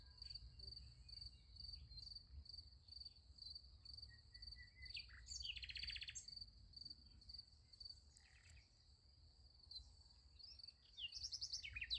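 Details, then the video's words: Night chorus of crickets next to a sunflower field: continuous high, evenly pulsed chirping dominates, broken by a few brief bird chirps and a buzzy burst midway, over faint low rumble. "Nice Sunflower Field with Crickets Sound Effect"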